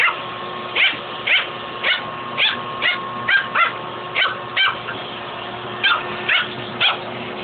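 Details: Fuzzy the dog barks repeatedly at a shop vac hose he is fighting, a fast uneven string of a dozen-plus sharp barks over the vacuum motor's continuous drone.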